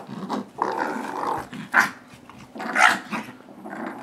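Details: Dogs growling during a rope tug-of-war between Nibbler, a nine-month-old blue doberman, and Biscuit, a six-pound shih tzu yorkie; rough, rumbling growls in bursts with two sharp, squealing peaks, and some laughter.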